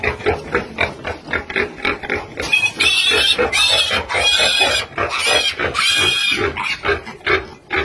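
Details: Sow caring for young piglets on a farm: quick repeated grunts at first, then a burst of louder, harsher squealing noise in the middle before the rhythmic grunting returns.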